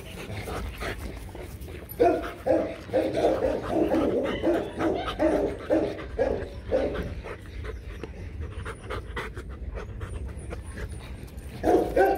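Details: Loki and Siro, a pair of Rottweilers, mating; a long run of rhythmic whining yelps and panting breaths, fading to quieter breathing before a final loud burst.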